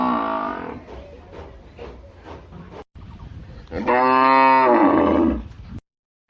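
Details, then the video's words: Cow moos: a moo fading at the start, about three seconds of low rustling and soft thuds, then a loud, rich, drawn-out moo of nearly two seconds before the sound cuts to silence. "cow sounds humboo humboo"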